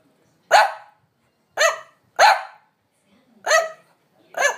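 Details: A French Bulldog, usually calm, barks impatiently for a walk while its owner lingers. Five loud, clipped barks come roughly once a second, with short silent gaps between them.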